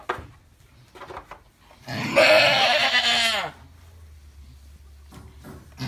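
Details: Single drawn-out, harsh bleat of about a second and a half from an Alpine goat birthing triplets, falling slightly at the end, framed by soft rustling and quiet pauses.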